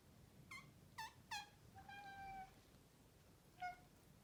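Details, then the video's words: Talkative male Maine Coon chirping at its owners, telling them off: three short, clipped chirps in quick succession, then a longer drawn-out trilling note, and after a pause one more brief chirp. Room is otherwise quiet. "What Does A Maine Coon Chirp Sound Like?"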